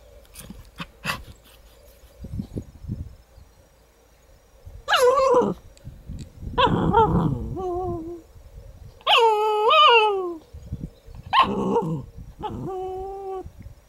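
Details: Miniature poodles recorded in June 2013, when a black puppy joined a family with an older apricot mini poodle: a series of tonal, whining whimpers and yips in bursts of about a second, separated by quiet rustling and taps.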